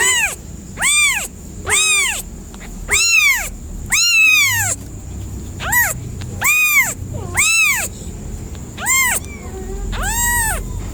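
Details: Cat giving a rapid string of arched meows, about ten in eleven seconds, some short and some long and bending, with a constant faint high-pitched tone and low murmur behind.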